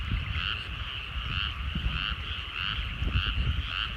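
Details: Countryside rice paddies at sunset: many frogs croak together in regular pulsed waves, close to two per second, over fairly strong low-frequency rumble.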